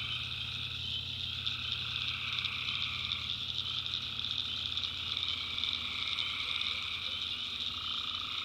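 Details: Tree frogs in the North Carolina backwoods at night keep up a thick, ringing trill chorus at several pitches, one mid-range caller fading out and back in, over a faint low hum.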